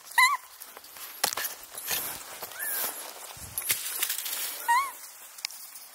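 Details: A lively infant female Japanese macaque from the wild troop at Awajishima Monkey Center, Hyogo, gives short, tonal, arching calls between rustling and scattered clicks.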